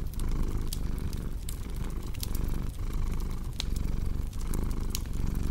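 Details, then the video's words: Purring cat with cozy fireplace ambience: low rumble pulsing with breaths about once a second, partly masked by prominent crackling, snapping sounds of burning wood. "Purring Cat"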